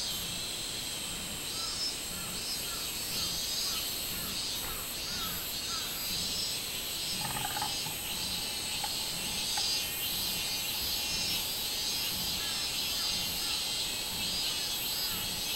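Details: Robust cicada (Hyalessa maculaticollis) song, a loud, high, pulsing drone in a steady insect chorus, recorded 24 July 2016.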